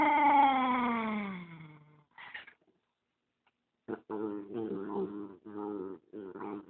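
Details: Dog growling while protective of the dog beside him and disliking the camera; opens with a drawn-out, falling, tonal moan, a pause, then a run of pulsed, throaty grumbles in quick succession.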